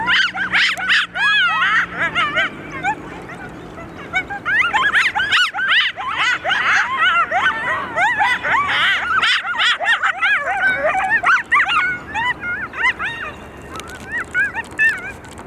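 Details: Sirens set off a pack of coyotes yipping and howling as a group, dense overlapping high yips and warbling howls for most of the stretch, thinning toward the end.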